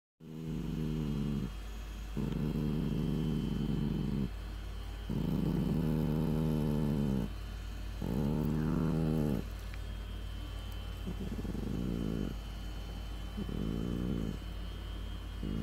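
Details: Chihuahua growling in low, rumbling bursts of one to two seconds, separated by brief pauses, over a steady background hum.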